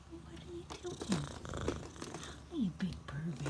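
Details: Bengal cat just up from a nap and very happy, recorded indoors in April 2020: soft low rumbling purr throughout, with a few short sliding chirp-like notes and quiet voices nearby.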